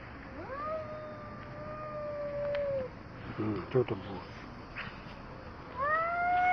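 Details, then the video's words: Tabboush, a stray cat who goes down to the street and starts trouble with the neighbourhood cats, lets out a long, steady, drawn-out yowl of over two seconds. A second rising yowl begins near the end, over low background noise. "طبوش نزل للشارع وبلش مشاكل مع شباب الحي"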